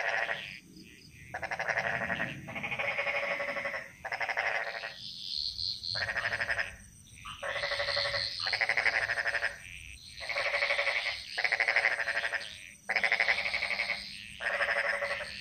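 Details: A Bali jungle frog chorus: loud, evenly pulsed rattling trills of about one second follow one another in quick succession, separated by brief silences, with softer answering calls and a thin steady high whine.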